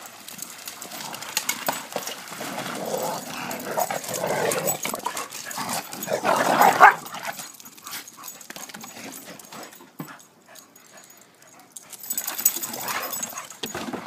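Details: Backyard romp of a 10-year-old Wheaton Terrier with two younger Pit Bulls, 3 and 4 years old, on a pool cover; a strong tonal whine-like burst midway, with rough scrabbling, thumps and rustle before and after.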